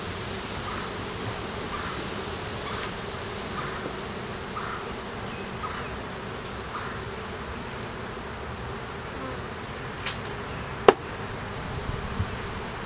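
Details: Honey bees in an opened hive during an inspection in a beeyard, where a laying queen, honey, capped brood and larva are found. A dense, steady hum with a constant low drone fills the whole stretch, broken by two sharp clicks late on.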